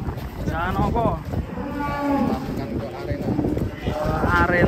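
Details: Low, steady moo from a giant cow taken out of its pen to walk in an arena with a child on its back, partly buried under lively chatter and background music.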